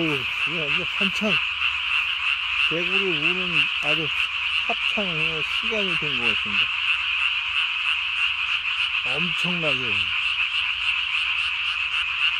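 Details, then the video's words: Japanese tree frogs at night, 3 May 2020, calling with a single chin vocal sac blown up as big as the body; an unbroken fast croaking chorus, overlaid by repeated lower, warbling tonal bursts. "밤에 우는 청개구리 울음판이 몸통 만큼 크네요?"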